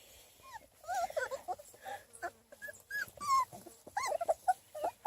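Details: Young Beagle puppies, three and a half weeks old, playing outside in summer: a jumble of soft wavering whimpers and squeaks from several pups, overlapping and irregular, with light handling noise.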